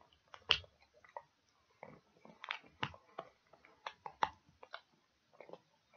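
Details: Pet dog chewing pig ears indoors in a small room: a steady run of sharp, crunchy bites and wet clicks, some loud snaps, spaced irregularly with short quiet gaps between bursts.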